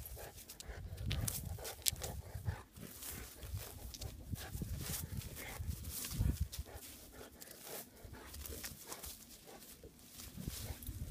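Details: Bella the English Mastiff plays with a rock, making deep throaty grunts and rumbling growls amid dense, continuous scraping, clicking and knocking noise.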